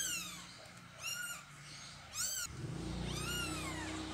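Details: A mother cat moving her kittens: three high, arched, harmonic meows about a second apart, each rising then falling. A low steady hum fills the background from midway on.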